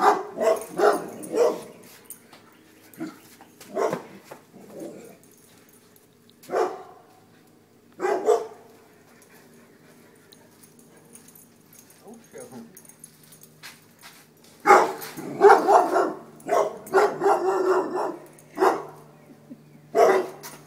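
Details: Several dogs barking and yelping as they run from a deer mount: loud bursts of rough barks come in clusters, with quiet gaps between them and a steady low hum in the background.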